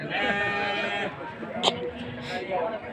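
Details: Goat at a livestock market in Sumpiuh, Banyumas, Central Java, on 20 December 2025 at midday; one long quavering bleat fills the first second, followed by a sharp knock and people talking nearby.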